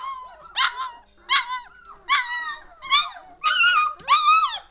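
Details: Three-week-old German Shorthaired Pointer puppies from a 2014 litter, lively and noisy, giving high harmonic yelps and squeals in bursts roughly every second, some calls sliding up and down in pitch.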